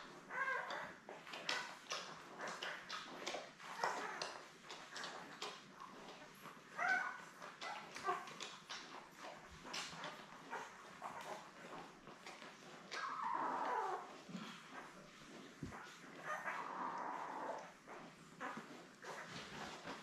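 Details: Labrador Retriever litter of seven newborns beside mother Belle, born May 24, 2021, on a puppy cam on June 3; constant shuffling and clicking noises give way to longer plaintive whining squeals near the end.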